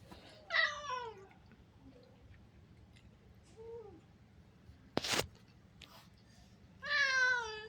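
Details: Domestic cat meowing indoors in a small room while a Tamil-speaking person talks about food it will not eat: two harmonic-rich meows about six seconds apart, each falling slightly in pitch, with a softer short call and a sharp knock between them.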